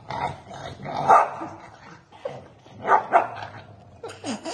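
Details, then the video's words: Pembroke Welsh Corgi brothers fighting in an angry sibling squabble, giving sharp mid-pitched barks and snarling yips in irregular bursts, loudest near one and three seconds, with a lower rising whine-like snarl near the end. "Corgi dogs brother's fighting"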